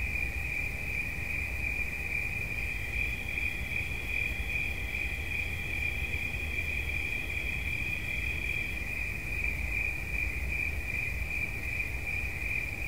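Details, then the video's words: Relentless high-pitched pulsing cricket trill; a fainter, slightly higher second trill joins for several seconds mid-clip, over a low rumble and a faint hum. "Świerszcz. Dźwięki relaksacyjne"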